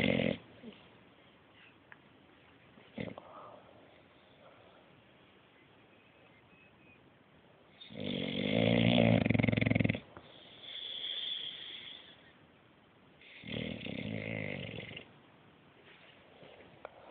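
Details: Bruce the English Bulldog sleeps deeply and snores: a long stretch of quiet breathing, then two loud, rasping snores about five seconds apart, the first lasting two seconds.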